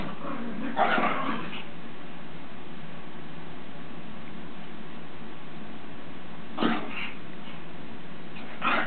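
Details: Punky Lord Byron and The Ninja Widget, two dogs at play, slowed down; a drawn-out broad yelping burst near the beginning, then a long quiet gap, then two more short barky bursts at the end, over constant low hum.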